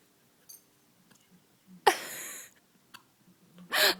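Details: An 11-week-old Samoyed puppy named Bhalu with the hiccups gives two sudden catching bursts, the first followed by a half-second hiss of breath and the second louder and rougher near the end, with small soft sounds in between.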